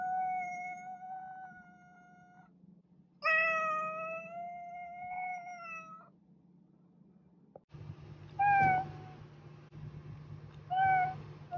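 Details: Domestic cat meowing indoors: two long, steady meows of about two seconds each, then two short, bright rising-falling mews after a pause, with a low hum underneath.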